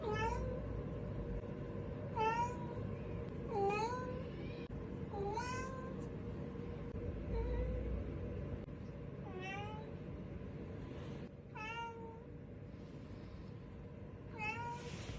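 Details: Domestic cat looking for something, giving repeated short meows with a falling-then-rising harmonic shape, about nine calls spaced one to two seconds apart over a steady low background hum.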